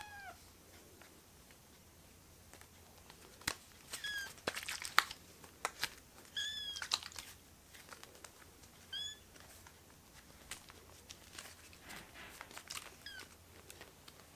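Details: Foster kittens rescued as babies cluster on a hand and mew repeatedly: short, high, bowed cries come every few seconds, five or six in all. Scattered sharp clicks and rustling run underneath.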